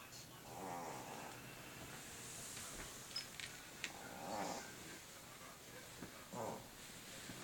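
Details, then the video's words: Fat domestic cat asleep and snoring indoors; soft, breathy, rasping snores swell roughly every two seconds over a steady background hiss. "Fat cat snoring"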